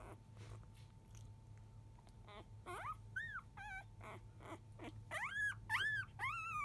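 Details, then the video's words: Newborn field-type Labrador Retriever puppies aged five days, crying indoors past 1 p.m. while the mother dog eats; soft grunts give way to rising, sliding whines and yelps that grow louder and more frequent toward the end, steady hum underneath. "Labrador puppy 5days old♪ラブラドールレトリーバーの子犬・生後5日目・13時すぎ・お母さん犬はご飯中・・・"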